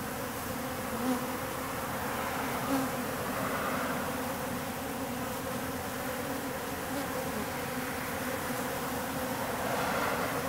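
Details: Wild bees swarming in mid-October at a wall in an industrial district, workers and drones mixed about one to one; dense steady humming drone of many bees throughout, with a few brief louder passes by single insects.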